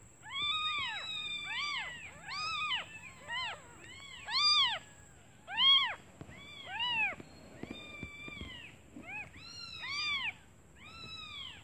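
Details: Newborn kittens calling their hungry mother, who has gone out to find food; high arched mews with bright harmonics, several overlapping voices, about one call per second, and a steady faint high whine throughout.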